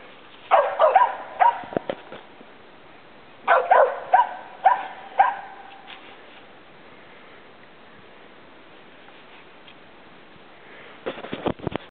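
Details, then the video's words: Two young Treeing Feist squirrel dogs barking at a treed squirrel: bursts of sharp barks in two clusters early on, then quiet, and more barks at the end. "Treeing Feist Squirrel dogs"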